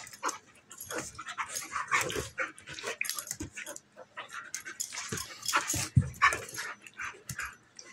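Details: Play fight between a female German Shepherd puppy almost a year old and a female Golden Retriever mix; rapid irregular growls, grunts and yips amid scrabbling, with a deep short growl around the middle.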